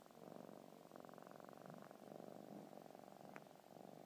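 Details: A 5-month-old male kinkalow (munchkin) kitten purrs steadily while kneading his blanket, a soft continuous rumbling vibration with a fast even pulse.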